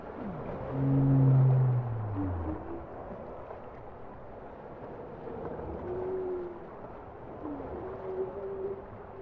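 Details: Bowhead whale song: a loud, deep moan sliding downward over about two seconds, followed by softer upswept tones and wavering mid-pitched notes over a steady rumbling underwater background.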